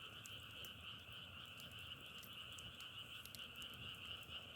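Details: Frogs calling together outdoors in Korea, a dense continuous chorus forming a steady droning trill with a bright high band and a lower band beneath, sprinkled with sharp crackling clicks, low rumbling background.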